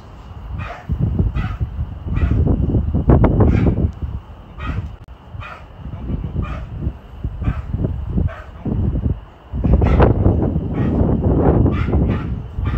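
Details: A Tibetan Mastiff puppy named Kraken, already taller than its owner, barks deep and loud in rapid, uneven bursts, several per second, with short pauses between runs and a steady high hum in the background.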